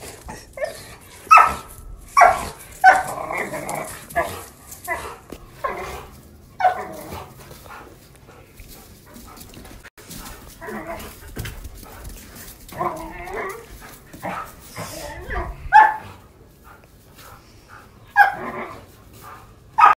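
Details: Young Doberman and six-month-old German Shorthaired Pointer playing; scattered sharp barks and yips with softer growling between them, clustered early and late, quieter stretch in the middle.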